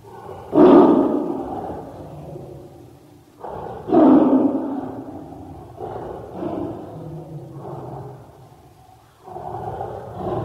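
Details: Tiger roaring in four rough, throaty bursts: a loud one near the start, a second equally strong about three seconds later, then two softer, moaning roars, with quiet gaps between.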